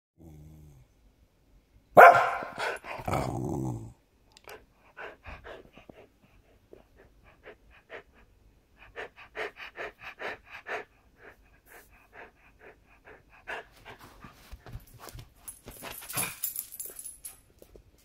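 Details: Coco the dog barking powerfully, alarmed by someone pulling up on the driveway: a loud burst of harsh barks early on, then quieter scattered yaps and rustling sounds through the rest.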